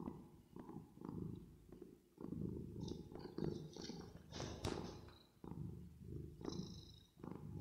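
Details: Cat purring while resting and sleeping, processed with reverb. Continuous low rumble pulsing with the breath, broken by a short pause near the middle, with faint higher clicks and squeaks above it.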